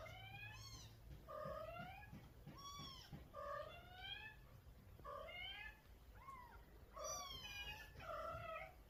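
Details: Mother cat talking to and calling her kitten, giving rapid overlapping meows, some rising and chirp-like, others falling and drawn out, almost continuous for nine seconds in a quiet room.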